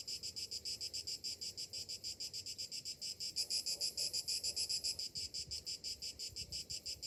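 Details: Morning summer cicada song: shrill, rasping buzz broken into rapid regular pulses, swelling louder midway before settling back, with faint low rumbling underneath.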